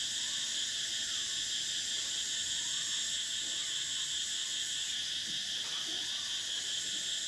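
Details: Summer cicadas in a loud, continuous shrill chorus, steady and layered, while faint brief downslurred chirps from other creatures come and go in the background.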